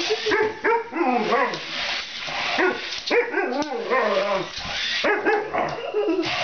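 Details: An Alaskan Malamute at play with a remote-control Spider-Man toy utters rapid, chattering, up-and-down yodel-like vocal sounds in near-continuous bursts, with faint human voices mixed in.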